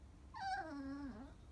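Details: Crying Chihuahua gives a drawn-out whimper, starting high and sinking to a low steady whine before a final dip, in a quiet indoor room with a person talking.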